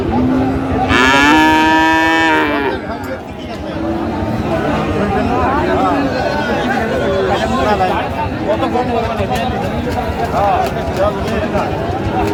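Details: Bellow at a Dinajpur market in Bangladesh selling Friesian and cross-breed bull calves, 15 January 2025: one loud, rich moo lasting under two seconds, then busy crowd chatter and trading talk.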